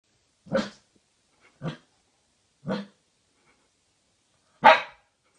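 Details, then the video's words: A male Siberian Husky puppy barks at his own reflection with four short, sharp barks, spaced irregularly with quiet gaps between. "Husky Puppy Barking At His Own Reflection"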